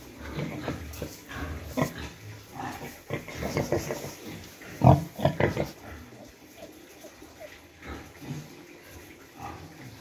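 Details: A sow that has just given birth, kept in a pen with her piglets in the cold season, with rice-hull bedding and warming for the young. Deep, short grunts repeat in irregular bursts, with louder squeals near the middle.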